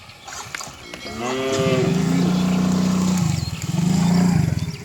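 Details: Lively cow herd charging down a grassy village slope, one animal letting out a loud, deep, sustained moo that holds steady for about three seconds, with a short pause near the end.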